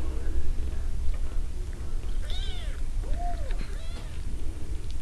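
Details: A cat raising baby jackrabbits gives a few arching meows around the middle, each rising then falling, over a steady low rumble of background noise.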